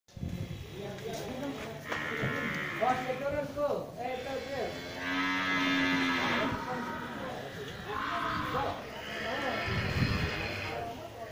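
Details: One-ton cow being loaded: several drawn-out, harmonic moos rise and fall across the scene, overlapping with human voices and handling noise.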